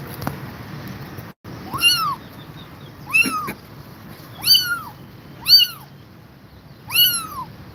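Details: Domestic cat, an exhausted mother staying with her kittens: five high, arched meows, each rising then falling, spaced about every one to one and a half seconds over a low background hum.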